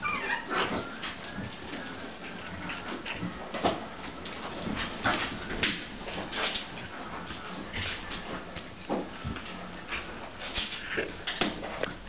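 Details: Pomeranian puppies about one and a half months old, litter 23, playing indoors with their mother; short sharp yips and thin whimpers scattered irregularly over twelve seconds amid constant scuffling and clatter of play.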